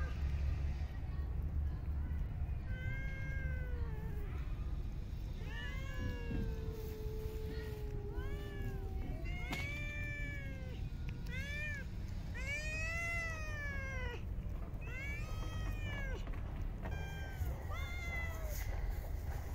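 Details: Several street cats in a park meow while being fed, overlapping harmonic calls that rise and fall, some drawn out, others short, over a steady low outdoor rumble.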